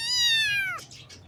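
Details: One loud, high kitten meow, a bright harmonic cry that sags gradually downward over most of a second, followed by soft breathy noise; baby kittens in the morning.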